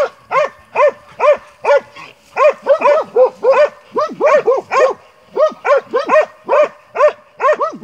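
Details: Hunting Montenegrin Mountain Hounds giving tongue; rapid, loud barks about twice a second, several dogs overlapping in places so the rhythm turns irregular, each bay a ringing arched yelp.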